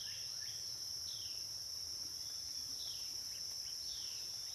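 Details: Cicada chorus on the Licking River at Morning View, part of a dusk-to-dawn recording: a steady high shrill drone runs throughout, with short falling chirps from other callers repeating above the hiss.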